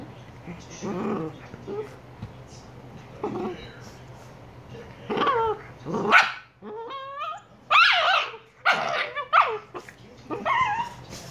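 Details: Two 118-day-old Shiba Inu puppies vocalising; short barks mixed with whiny, wavering yelps and a stepped, yodel-like cry around the middle, spaced a second or so apart.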